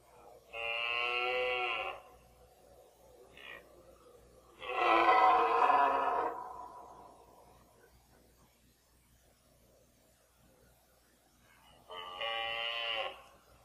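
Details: Red deer stag roaring in the 2014 rut, chiefly a fourteen-pointer; three separate harmonic bellows, the middle one loudest and roughest, with a short grunt between the first two and silence before the last.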